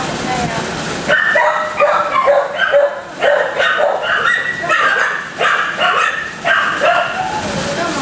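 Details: Kennel dogs barking together, rapid sharp barks in clustered bursts after a brief quieter opening, with possible talking underneath the chorus.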